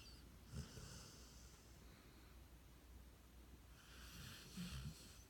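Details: Cody the dog snoring while asleep, a faint low rumbling breath with soft breathy bursts near the start and again toward the end, quiet indoor background.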